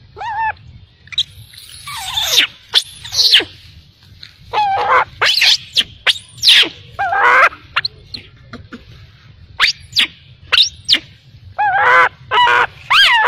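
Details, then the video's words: Infant macaque left by its mother cries in short, shrill, tonal wails that bend up and down. Pauses break up clustered outbursts, and a faint low background hum runs underneath. "Poor baby monkey was abandoned by mother monkey, crying heartbreakingly"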